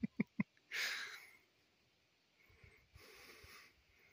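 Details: A large bull that wandered into a campsite one morning, meeting a bulldog named Nipsey, gives a breathy, broadband snort after three sharp clicks, followed about two seconds later by a second, softer exhale.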